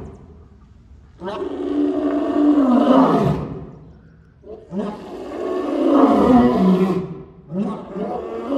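An African lion gives long, rasping, drawn-out roars, each swelling and then fading over about two seconds.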